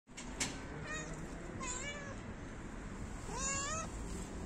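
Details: Stray cat outdoors, licking a person's feet, gives three clear rising meows, the last one longest and highest, over steady background hiss and rumble.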